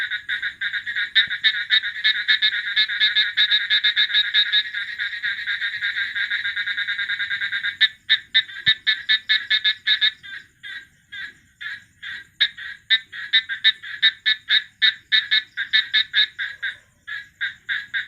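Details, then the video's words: Continuous rapid rattling frog chorus that later breaks into separate short raspy pulses repeated at an irregular quick pace, with no other clear sounds. "frog call"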